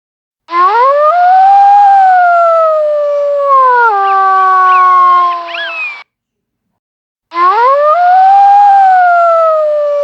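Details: Wolf howls that swoop up from a low start, arch smoothly and slowly sink. A second, higher wavering voice briefly overlaps mid-howl. After a pause another rising howl begins.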